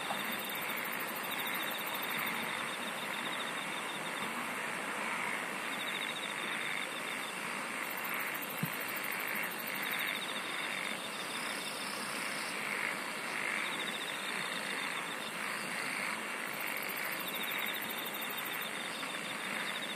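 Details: Insects sing in a layered chorus: several pulsed trill bands that come and go at high and very high pitch, over continuous broadband noise, with one brief sharp click near the middle.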